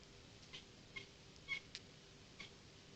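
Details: Young kitten producing funny little sounds: four brief, high-pitched squeaky mews in quick succession, the loudest near the middle, over a quiet indoor background.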